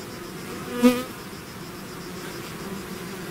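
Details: Honeybee swarm leaving its hive, a steady low drone with many overlapping wingbeats; one nearby bee passes close just before the first second, a louder brief buzz standing out from the massed hum.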